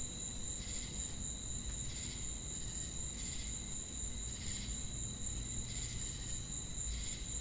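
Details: Insect chorus of crickets with cicadas: a continuous sharp high whine, punctuated by regular pulsing chirp bursts roughly once per second, against low ambient rumble.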